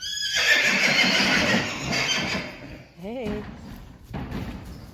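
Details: Friesian horse from a herd neighing: a loud, harsh, quavering cry for nearly two seconds, then a short rising-falling squeal, with hoof clops and Dutch speech around it.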